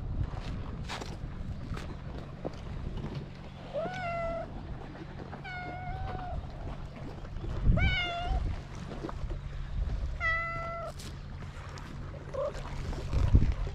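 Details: Stray cat on a cat island meowing beside the sea: four drawn-out, clear meows a couple of seconds apart, each level then slightly falling, over a steady low rumble of waves and a faint motor hum.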